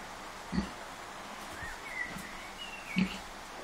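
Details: Kunekune sow Bella, unwell but nursing her five-day-old piglets and still a bit grumpy, gives two short low grunts about two and a half seconds apart while small birds chirp faintly in the background.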